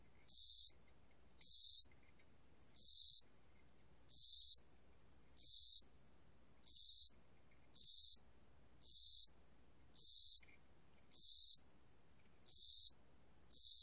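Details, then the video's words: Spring-summer cricket from Korea calling in a long regular train of short, shrill, buzzy chirps, about one each second, twelve in all, with near silence between them. "봄여름귀뚜라미, 1번 듣기, 곤충소리"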